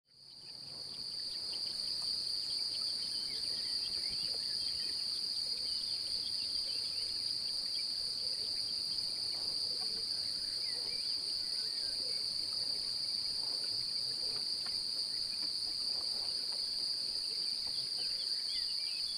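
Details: Male cricket singing while seeking to mate, with an apparently interested female nearby; he sings by rubbing his forewings together. A steady, unbroken high-pitched trill with a fainter upper overtone runs throughout, over faint background rustle.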